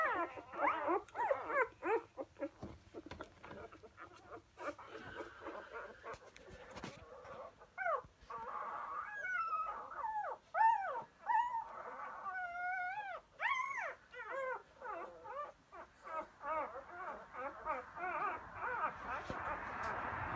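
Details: Four-day-old Labrador Retriever pups of Emma and Floyd, dated 1/5/2016; soft rustling and faint mewing at first, then clearer warbling whines and thin squeaks in an irregular series, fading into murmuring whimpers.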